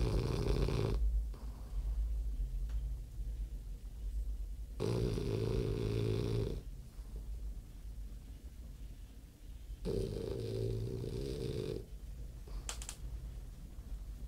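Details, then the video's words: French bulldog snoring indoors: three long, deep, rasping snores spaced about four to five seconds apart, each lasting one to two seconds, with quiet breathing between them. "Bulldog frances roncando"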